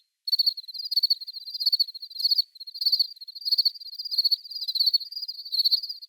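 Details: Crickets chirping in a natural ambience free of background noise: high, thin pulsed chirps given in short bursts of rapid trills, pausing briefly between groups, each burst sharp and clean against total silence.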